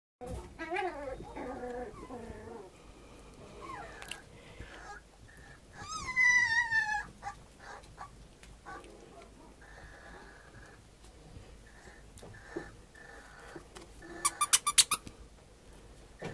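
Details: Puppy aged 65 days; a few wavering high whines and whimpers, a louder rising-falling cry near the middle, with faint room noise and scattered clicks.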